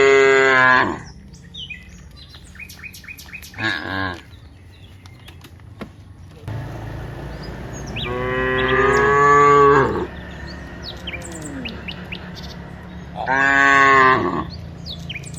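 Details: Cows, dozens of them, walking from the rice fields to the village, give four drawn-out, deep, harmonic moos, the longest about two seconds, spaced by quieter gaps filled with small bird chirps and faint rural background.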